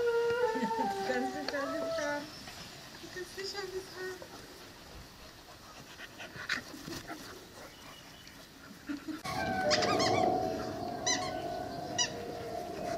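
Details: Young female Cane Corso, five to six months old, giving drawn-out tonal howls and whines: wavering, stepped notes early on, then a strong sustained mid-pitched howl near the end with faint chirpy background sounds.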